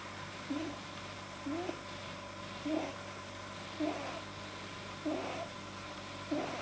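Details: Pet rabbit, deeply relaxed, making unusual noises that a vet linked to a too-long soft palate: short nasal squeaky bursts repeated about every second, over a steady low indoor hum.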